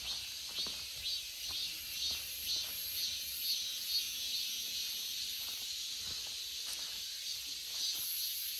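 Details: Cicada buzzing in a high, hissing band that swells and fades in rapid pulses about twice a second, with scattered clicks and faint background noise.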